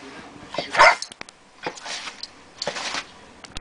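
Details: Bug, a small female Boston Terrier–pug cross, gives a few sharp, high barks in quick bursts, ferociously barking to scare away a big new bone she seems daunted by.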